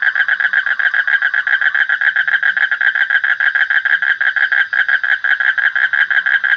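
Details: Frog calling in a steady, fast pulsed trill, a rapid train of buzzy, even notes held at one mid pitch throughout with no pauses.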